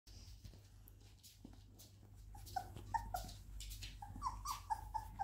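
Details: Twenty-day-old Labrador Retriever puppies; after a couple of seconds of soft rustling, a quick run of about eight short, high, squeaky whines follows, each a thin piping note, over a steady low hum.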